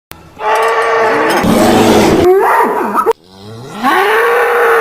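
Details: Angry bull bellowing in a pasture: a long, loud, harmonic moo held steady, a brief wavering call, then a second drawn-out bellow that slides upward in pitch and holds.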